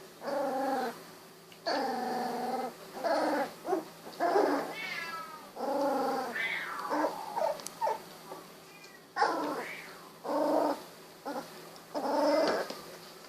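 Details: Sixteen-day-old Golden Retriever puppies, eyes newly opened, moving about; a run of drawn-out, wavering whines and howls, each about half a second to a second long, repeated almost continuously with brief gaps.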